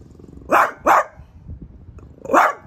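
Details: French Bulldog confronting a new artichoke plant at home: two quick, sharp barks close together, a short pause, then a third bark, with faint snuffling between.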